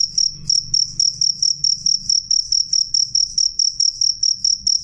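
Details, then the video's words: A cricket sings clearly and loudly, shrill high-pitched pulses clustered into quick chirps that follow each other almost without pause, over a soft low background murmur. "suara jangkrik jernih keras"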